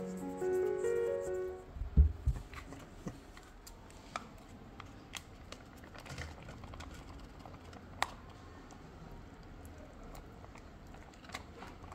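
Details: A short musical phrase fades out, leaving a quiet room with scattered taps, clicks and light rustling.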